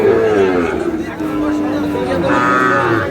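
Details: Sahiwal bull calf at a crowded cattle market, bought by a farmer from Khulna: drawn-out, level lowing moos standing out over steady chatter and traders calling out prices nearby.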